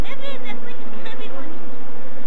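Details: Apis mellifera scutellata swarm in Kenya during capture while people look for the queen. Constant deep bee hum throughout, overlaid at the start by quick rising voiced sounds from people.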